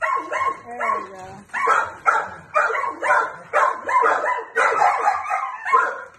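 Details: Wendall, a friendly, playful four-year-old male Jack Russell Terrier x Plott hound mix awaiting adoption near Wilmington, North Carolina, playing with a flirt pole while Norman joins the chorus; harmonic barks and yowling calls burst out roughly twice a second.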